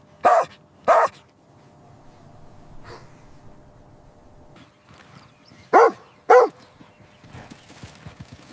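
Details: Puppies at play on fresh green grass, running, jumping and play-fighting: two pairs of sharp, loud barks, one pair near the start and one later, with a faint softer yelp between them over quiet background.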